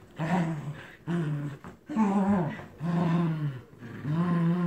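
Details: Play growling from two terriers, Captain Jack and Scarlett, tugging a toy duck indoors: five low, throaty growl bursts about one per second, some rising and falling in pitch.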